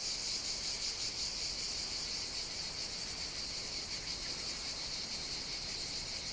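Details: Cicadas in full song on the Greek island of Evia in hot summer, a relentless high-pitched rasping buzz, softly pulsing and swelling slightly toward the end, with no other distinct sounds.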